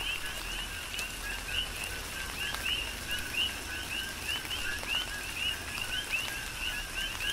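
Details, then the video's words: Coqui frogs calling through a tropical rain shower on the Big Island, Hawaii: many overlapping two-note chirps, a lower note then a higher whistled one, repeating rapidly over steady rain patter and dripping. "Tropical Rain & Coqui"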